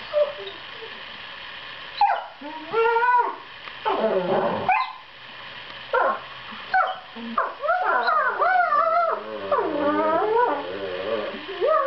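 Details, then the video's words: Pair of seven-month-old borzoi puppies play-fighting with sweet reassuring noises: short sliding whines and yelps separated by pauses, then a longer run of wavering, overlapping howl-like whimpers. "borzoi puppy duet"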